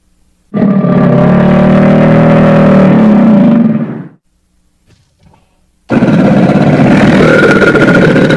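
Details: Crocodile giving a loud, rough growling roar with a deep rumbling tone, held for about three and a half seconds and fading out, then a short quiet gap before a second harsh, noisier roar starts.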